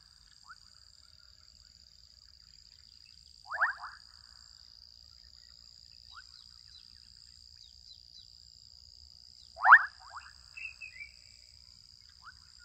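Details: Adolescent frogs calling in a Kenyan wetland: two loud, short rattling bursts that sweep upward, with several fainter calls scattered between, over a steady high insect-like whine and low rumbling background.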